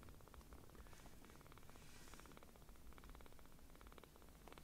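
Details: Rescued baby kittens, small enough to fit in a palm, purr with surprisingly loud rumbling while being affectionate; a dense, rhythmic low purr fills the whole stretch with light crackle above.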